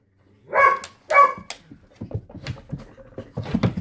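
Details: Border Collie indoors reacting to a new ball he dislikes: two loud, sharp barks about half a second apart, followed by softer scuffling, panting and low rumbling sounds, with a man's voice coming in near the end.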